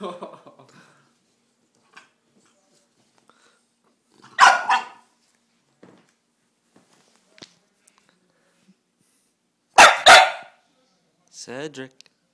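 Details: Pet bulldog Cedric in rough play fires two loud barks about six seconds apart, with speech at the start and end and small thumps between.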